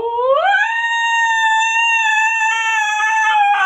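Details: Siberian husky howling: one long tonal note that rises steeply at the start, then holds steady and level for about three seconds in a rich harmonic voice.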